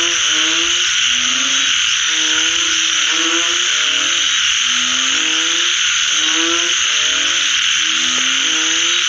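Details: After rain, several frogs keep up a rhythmic chorus of short, throaty, harmonic croaks in overlapping bursts about once a second, with a steady high-pitched insect wash throughout.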